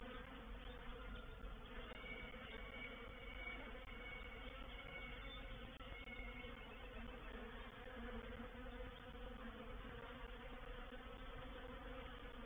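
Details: Reproductive honey bee swarm occupying a bait hive on 04/07/21, producing a steady, dense buzzing drone; faint thin whistled tones sound briefly above the hum early on.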